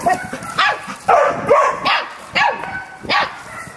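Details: Samoyed puppy chatting with a Labrador: a run of about five high, arched yips and short barks, each bending up then down, with brief pauses between, plus softer whimpery bits in the gaps.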